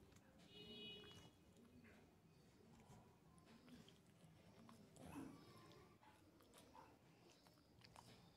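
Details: Shih Tzu puppy indoors chewing his chew stick, quiet irregular crunching and gnawing clicks scattered through a soft low hum, with a louder burst of bites around the middle.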